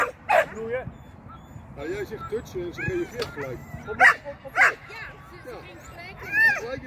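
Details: Shetland sheepdog Sian during agility practice on the seesaw and tunnel. A few scattered high-pitched barks stand out among longer stretches of human speech.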